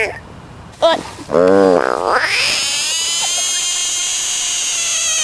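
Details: Frog screaming, from a compilation of screaming frogs: a short harmonic cry near one second, then a loud wavering wail rising at about two seconds into a long, steady, high-pitched scream held to the end.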